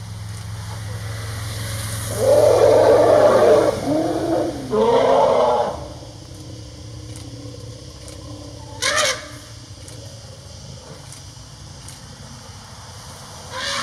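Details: Two herds of wild Asian elephants, one with a newborn calf, call loudly to each other at a salt lick in Khao Yai National Park, with two harsh, roaring calls and deep rumbling undertones as they greet.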